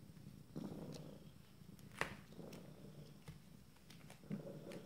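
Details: Kittens 26 days old from a first litter purr in short low rumbling bursts, with a sharp click near the middle and quiet room sounds around it.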